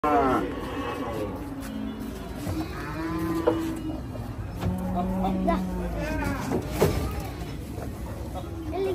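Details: Cattle being unloaded from a truck at Hazratpur haat, a cattle market: several overlapping moos rise and fall throughout amid crowd chatter, with music and voices in the background.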